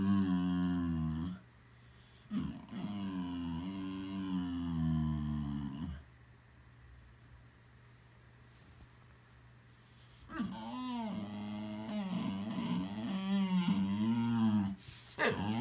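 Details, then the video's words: Boxer dog vocalizing indoors with funny sounds: long low rumbling moans, a quiet pause of several seconds, then a burst of wavering, yodel-like warbles rising and dipping repeatedly. "Boxer Dog makes Funny Sounds"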